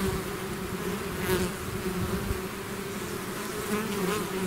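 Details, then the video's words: Swarm of bees leaving its hive, a dense continuous hum with steady low tones and a brighter overtone, occasional louder buzzes as single bees pass close. "bees therapy swarm natural buzzing sound"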